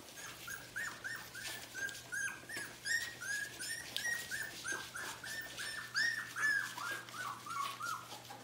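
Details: Kennel puppies, fourteen of them aged three weeks from two litters, keep up a dense run of bright, slightly descending squeals and whimpers, roughly two or three each second, over a faint steady hum.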